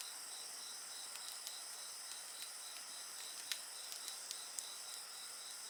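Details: Steady high-pitched insect chorus heard alongside a bonfire, the trilling bands unbroken from start to finish while faint scattered pops and snaps of burning wood come and go.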